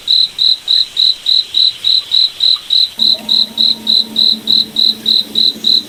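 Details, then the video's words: Night-forest cricket giving a steady train of high, clipped chirps, roughly three per second and very regular; from the midpoint a soft low hum with faint overtones joins underneath. "Cricket Night Forest Ambience"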